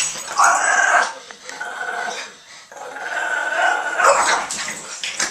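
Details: Two Boston Terriers playing tug roughly, one a female on her third birthday; two loud, drawn-out harmonic growling bursts, each about a second long, separated by a quieter scuffling pause.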